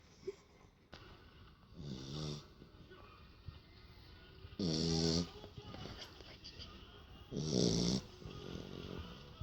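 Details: Sleeping after a bout of play, a female Beagle snores in three rattling, resonant breaths spaced about three seconds apart, loud and throaty against an otherwise quiet room.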